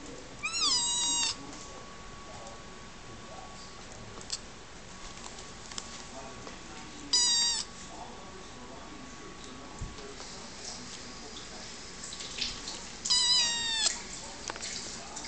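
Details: Playful rescue kitten indoors giving three high, thin, plaintive meows, each under a second and spaced several seconds apart, over a faint steady hum and soft background noise.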